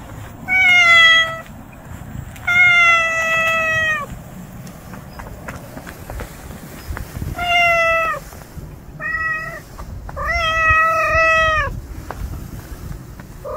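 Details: Hungry stray cat outdoors, giving loud drawn-out meows, five calls over about thirteen seconds, each steady and slightly falling at the end, with a faint background hum.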